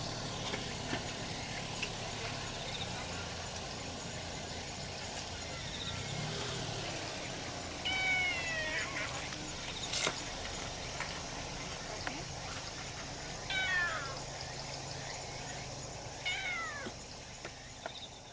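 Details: A stray brown tabby kitten calls in greeting near its calico mother during August 2018 summer heat of 35°C. Short, sharp, falling high-pitched meows come three times, spaced several seconds apart, over steady outdoor background noise.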